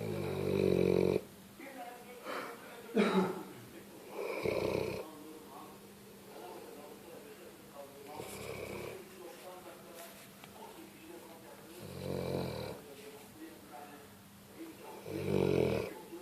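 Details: Pet dog snoring in its sleep indoors, several harsh rumbling snores every three to four seconds, some with wheezy, whistling edges, plus brief sniffs and faint murmuring in the quieter gaps.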